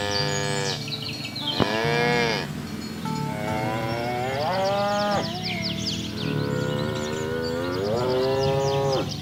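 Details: Mooing cows in a herd pushed along a rice field ditch to the pen; several overlapping moos follow one another, each a bending harmonic bellow, with faint high chirps scattered above.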